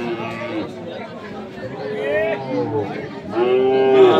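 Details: Sahiwal bull calves being bought and sold at Ambari market, Parbatipur, Dinajpur, Bangladesh, on 10 February; drawn-out harmonic moos arch up then down around two and three and a half seconds, set against crowd chatter and men's voices.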